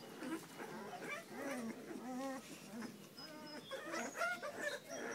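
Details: Puppies whimpering together, overlapping high, wavering whines and short squeals that rise and fall in pitch, several voices at once with no pause across the few seconds.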